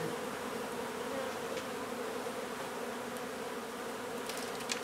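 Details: Honey bees in a hive being removed from an old home under renovation in Donna, Texas; a steady, low droning hum holds an even pitch throughout, with a few faint ticks near the end.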